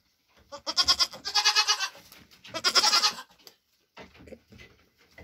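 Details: Mother Nigerian Dwarf goat eating her grain ration after hoof trimming, her triplets born June 18, 2023; two long, loud, quavering bleats in quick succession, followed by softer, shorter cries.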